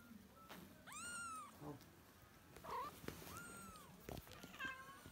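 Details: Kitten calling for the mother cat, heard over a noisy background with clicks and rustling: two distinct arched meows, rising then falling, plus fainter, broken mews toward the end.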